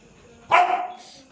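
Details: One short, sharp bark from a pet dog that keeps barking at no one, fading quickly into quiet room tone.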